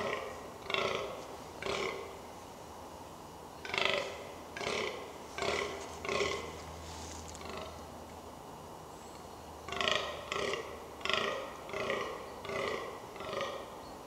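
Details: Fallow deer in the New Forest, Hampshire, during the rutting season: bursts of gruff, belching groans near one per second, broken by a quiet gap with a low steady hum, then resuming.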